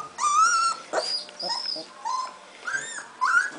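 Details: Golden retriever puppies, three weeks old and just starting to move around, whimper and yip in a run of high, whiny, wavering cries, each about half a second long, coming in quick succession with little pause between them.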